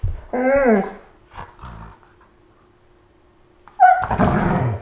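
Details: A Siberian husky and a malamute play fighting while lying on the floor, August 2014; a rising then falling whining yowl opens, short rumbles follow, and a rough, noisy snarl bursts out near the end.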